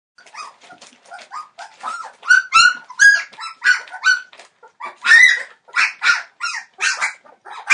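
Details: Entlebucher Mountain Dog puppies, 21 days old, from a litter born 28 December 2013, whining and yelping in a rapid, overlapping series of high, harmonic squeals that rise and fall, growing louder and more insistent toward the middle and end.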